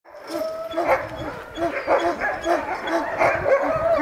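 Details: Sled dogs at a Denali National Park demonstration in Alaska, getting fired up to pull a wheel sled: a chorus of many dogs barking and yelping over one another in rapid, overlapping bursts, with faint human voices behind.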